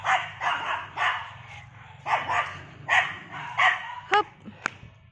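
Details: Third-generation poodle on a morning walk around a housing complex, barking in short bursts: about eight rough, mid-pitched barks in quick pairs, ending with two sharp, high yelps and a low background hum.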